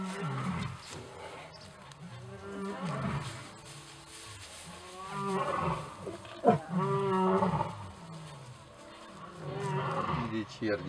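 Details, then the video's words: Lions roaring and growling during evening chases on their territory, a pride leader keeping order; low drawn-out rumbling roars with harmonic bands, rising in bursts at about 1, 3, 6 and 10 seconds, with a person's voice nearby. "Leader lion sets own order! Evening lion races!"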